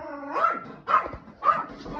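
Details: Yorkshire Terrier indoors, going crazy with excitement while a cat plays in a large box; three sharp, loud barks about half a second apart, with a whiny tone before the first.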